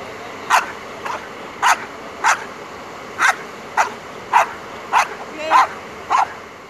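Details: Belgian Malinois named Asyong during bite work training, giving about ten sharp, loud barks in a steady rhythm, roughly one every half second to second, over a constant faint background hiss.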